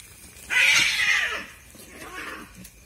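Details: Two cats fighting at night, described as a pair keeping the household awake; one loud, harsh, wavering caterwaul lasting about a second, then a softer, fading second cry.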